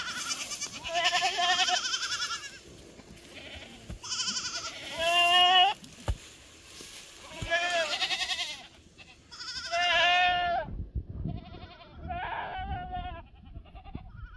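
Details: Bleating black goats at a goat farm in Gimhae, South Gyeongsang, Korea, on 12 July 2024; repeated loud, quavering, nasal bleats overlap from several animals in clusters every few seconds, with short knocks and possibly faint human voices.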